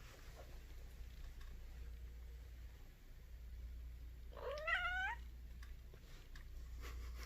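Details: A female Egyptian Mau cat, suddenly woken by surprise, gives one short, drawn-out meow that rises and then dips.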